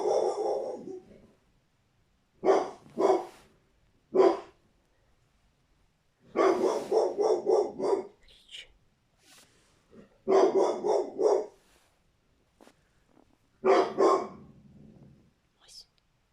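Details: Angry American Staffordshire Terrier barking, with cats frightened nearby: bursts of deep, harsh barks in quick runs of three to five, separated by silent pauses of one to two seconds, repeated across the recording.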